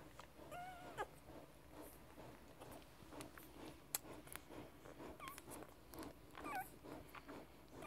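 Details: Newborn Grand Basset Griffon Vendéen puppies of the N litter at Viersenhoeve, just minutes old, giving thin, wavering whimpering squeals, one early and a pair later, over soft rustling and clicks indoors.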